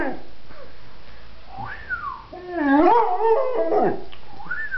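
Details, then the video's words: Singing pet pointer: wavering, bending howls that rise and fall in pitch, overlapping with a thin whistle-like tone and faint music. "the singing pointer"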